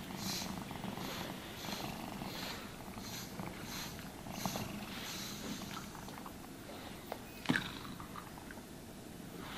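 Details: Contented cat purring while brushed and groomed, a steady low rumbling purr under regular brushing swishes in the first half, then softer purring with a brief knock near the end, no talking.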